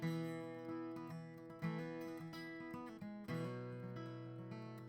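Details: Strummed acoustic guitar music with sustained chords and shifting bass notes, and no animal sounds.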